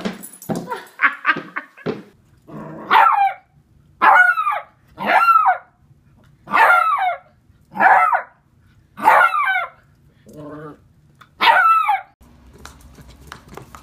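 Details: Beagle from a cute dog compilation, barking in a series of loud, harmonic yips and bow-wows, about ten barks spaced roughly a second apart, with a softer lower bark near the end and a woman speaking at the start.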